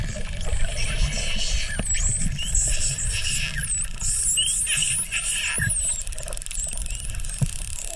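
Several Atlantic spotted dolphins whistle in quick, high arcs and loops, some overlapping, for a few seconds. A steady low rumble of water and engine noise runs underneath throughout.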